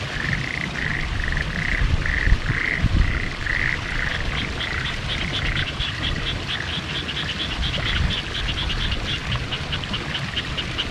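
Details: Frogs calling in Hitachiota, Ibaraki Prefecture, Japan, on 6 May 2021 amid fresh spring greenery in the countryside; short pulsed croaks repeated in fast trains, a higher ringing series joining midway, over steady low rumble.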